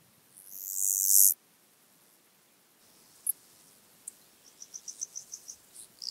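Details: Black-spotted toothed grasshopper (Stenobothrus nigromaculatus) singing at Kyffhäuser, Germany, on 19 July 2018: one loud, very high hissing burst of about a second, then a quiet gap and a run of short, evenly spaced soft ticks.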